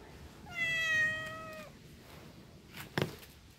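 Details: A cat lets out one steady, drawn-out meow of just over a second with rich harmonics, then a soft knock-like thump in an otherwise quiet room.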